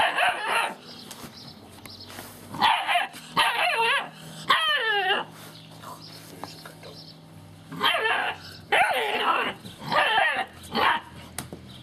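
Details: Gordon Setter puppies playing with and taking over a cardboard box give bursts of high, wavering whines and yelping squeals in several short bouts separated by quiet pauses, over a low steady background hum.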